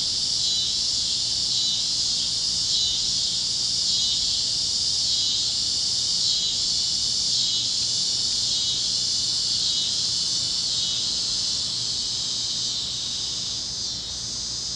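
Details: Cicadas chirping over Kansas fields at sunset on a warm evening on the great plains: a dense, high, unbroken buzzing chorus with a faint steady throb, holding an even loudness throughout.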